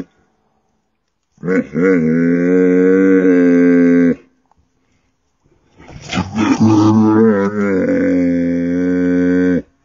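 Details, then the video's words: Goat giving two long, loud, drawn-out bleats of nearly three seconds each. Each begins with a wavering, quavering onset and settles into a steady, nasal, strongly harmonic tone, separated by a short silence. "crazy# goat #funny# funny sound"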